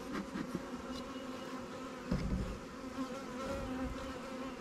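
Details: Honey bees at newly captured swarm hives, Langstroth and Warre, in an apiary while a beekeeper adds resources taken from stronger hives: a steady low droning hum with a faint constant tone beneath, broken by a few soft knocks.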